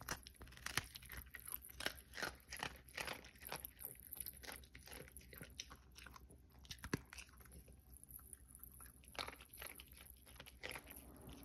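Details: Cookie, a Pomeranian, eating in an ASMR recording: dense bursts of sharp, dry crunching for the first half, then sparser bites and quieter scraping in a small indoor room.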